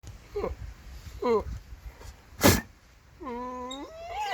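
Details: Goat giving short, wavering bleats, then a longer, steady, nasal bleat with a rising end, plus a brief sharp broadband noise in between and low background rumble.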